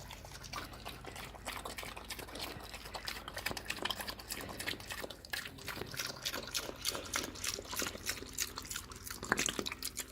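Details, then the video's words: Slop-eating pig, hungry, making busy wet slurps and drips with stirring, splashing liquid; a louder smack near the end. "свинья ест голодный / cute pig's feeding / pig's eating slop / hungry pig"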